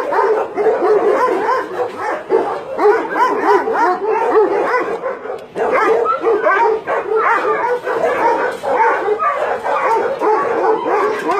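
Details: Roughly 150 dogs held at a meat farm cum puppy mill in Nonsan, South Korea, in January 2017, barking together in a constant, crowded din, with a brief dip near the middle before the chorus resumes.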